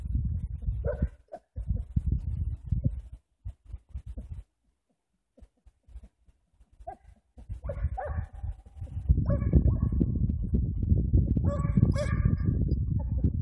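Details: Pila, a Hamiltonstövare, working hare tracks on bare ground in February at +4 degrees, unable to sort out the trail. Scattered distant barks rise to a run of repeated yelps, largely masked by heavy low rumbling wind or handling noise.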